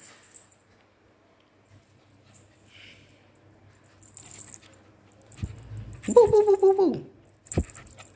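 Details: Sweety the Pomeranian in a playful mood gives a drawn-out, slightly falling whine lasting under a second, preceded by a low thump and followed by clicks and scuffling. A person speaks Hindi nearby.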